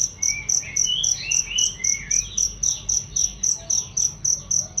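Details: Cricket chirps used as a loud, clear training recording for songbirds: high, sharp pulses repeated about four times a second in a steady rhythm, with faint swooping whistles of birds underneath.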